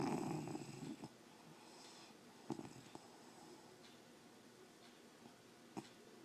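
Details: A sleeping English Bulldog snoring loudly indoors: one long, rough, breathy snore at the start, then quieter, softer breathing with a few faint clicks.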